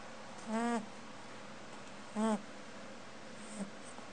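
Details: Sleeping she-rabbit snoring: two short, nasal, droning hums about 1.7 seconds apart, then a tiny click, against a low constant background hum.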